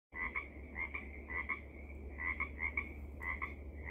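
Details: Pacific tree frog calling from thick vegetation in Seaside, Oregon: a string of two-part 'rib-bit' croaks, each a quick double pulse, repeated about every half second over a steady low hum.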